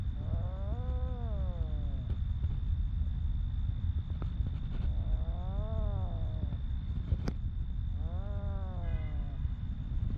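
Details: Stray homeless cat in Ras Al Khaimah, UAE, giving three drawn-out meows with arching harmonics, each about a second long and spaced a few seconds apart, over a heavy steady low rumble and a constant high-pitched whine.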